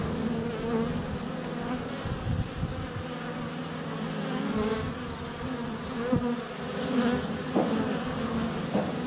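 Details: Many honey bees swarm close around a GoPro at the hive entrance in February sunshine, producing a continuous droning hum with shifting pitch as individuals pass, plus occasional soft taps and faint distant birdsong.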